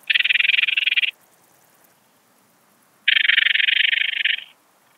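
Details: Eastern Alpine Bush-cricket (Anonconotus italoaustriacus) singing at Heiligenblut, Austria, on 4 September 2020: two loud, dry buzzing trains of rapid clicking pulses, each about one to one and a half seconds long, separated by a two-second pause.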